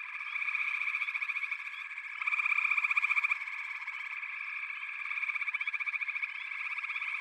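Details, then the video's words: Frog chorus of overlapping rapid trills forming an unbroken buzzing wall, with a nearer caller rattling more loudly for about a second. "FROGS - Pig Frogs, Water Frogs, Backwater Chorus, & Frog Chorus"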